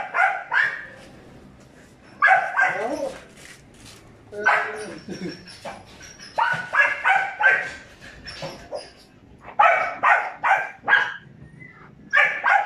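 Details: Five-month-old Belgian Malinois pups Juvs and Jeff bark repeatedly, about two to three calls per second in bursts: high, sharp, harmonic yaps mixed with short downward-sliding yelps and brief pauses between volleys.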